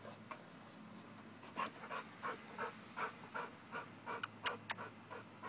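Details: American bulldog exercising to build muscle, soft rhythmic panting that grows louder after the first second, with three bright clicks near the end.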